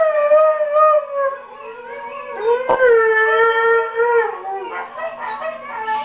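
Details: A male Siberian husky "sings", howling in long, tuneful wavering notes that dip and rise, urged on by his owner after his master left him behind.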